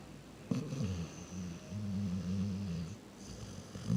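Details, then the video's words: Reese, a pet dog, snores while asleep, a low rattling purr-like rumble sustained for a couple of seconds after a sharp snort, in a quiet room. "Snoring Dog"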